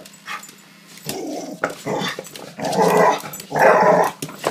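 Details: Indoor dog barking at balloons: low, rough, growly barks in bursts, a short one near one second, then longer, louder rasping barks around two and a half and three and a half seconds, with small room echo.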